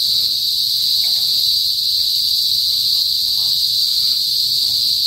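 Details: Cicadas in a rural province in the northern Philippines, known locally as kuliglig, calling loudly, as they usually do before sunset: a steady, unbroken high-pitched shrill drone with a bright overtone above, holding even throughout with no pauses.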